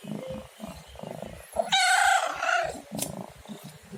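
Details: Domestic cat with one drawn-out, harmonic meow lasting about a second, set between stretches of soft rhythmic purring or breathing rumbles.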